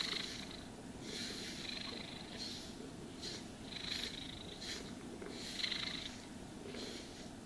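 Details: Purring house cat during a grooming and brushing session: an unbroken deep vibrating purr beneath repeated scratchy brush strokes, each lasting about half a second and separated by short pauses; calm room, nothing else heard.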